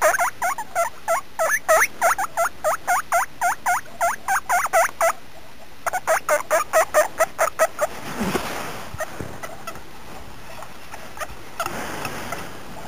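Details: Guinea pig giving a steady run of short upward-sweeping squeaks for about five seconds, then a second burst after a brief pause, before the calls fade and soft rustling and handling noise take over.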